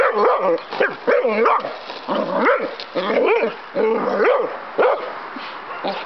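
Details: Pet dog outdoors going wild at a toy helicopter being flown, giving a rapid run of high, yelping barks about once a second, each one arching up and down in pitch, with little pause between them.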